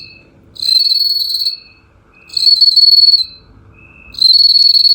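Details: Golden bell crickets kept together in gourds as traditional Chinese singing insects; bright, pure ringing trills about a second long, repeated after short pauses, with a softer lower tone between bursts.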